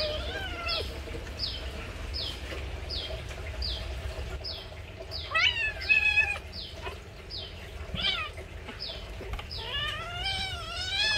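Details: Mother cat caring for her young kittens; a rapid series of high, short falling mews from the kittens at the start, then louder, longer wavering meows with rich harmonics rising and bending, amid light background noise.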